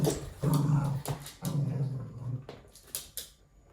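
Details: Male red toy poodle growling during play with his owner: three or four strong, low, grumbling bursts in quick succession, then softer snuffles and rustling as the growl fades out.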